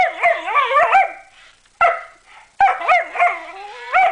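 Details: German Shepherd puppies curious about an unfamiliar fluffy toy, giving clusters of high, bouncing yips and squeaky barks, a pause, then another quick series of rising-and-falling yelps.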